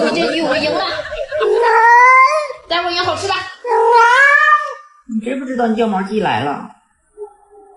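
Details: Pet cat indoors giving two long, drawn-out meows that rise and bend downward, each about a second long, followed by a shorter wavering cry, with human voices talking over and between the calls.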